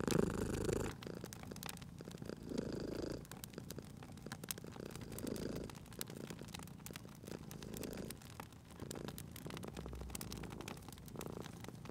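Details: Sleeping domestic cat purring beside a crackling fireplace in a cozy spring setting: soft, rumbling purr in swelling bursts roughly every one and a half to two seconds, under constant sharp pops and snaps of burning wood.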